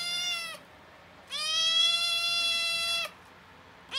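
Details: Oreo, a small rescued domestic cat finally recovering from gastroenteritis after ongoing diarrhea and repeated vet visits for drips and injections, gives a short meow, then a long, steady, even-pitched meow of nearly two seconds, with another beginning at the end; quiet background.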